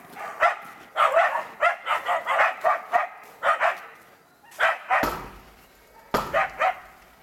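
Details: Working a penned wild boar before trials, young Karelo-Finnish Laikas Rus-Fin and Kaya give clipped, high barks in quick groups of two to five, separated by short pauses, with a couple of sharp knocks in between.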